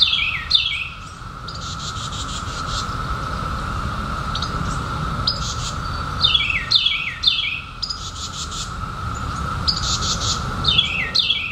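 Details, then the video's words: Periodical cicadas in 2021, just emerged after 17 years underground: a steady droning chorus holds one even pitch throughout, with buzzy rasping bursts now and then, while a bird repeatedly gives quick, high, downslurred chirps in short runs. "SOUND OF CICADAS 2021"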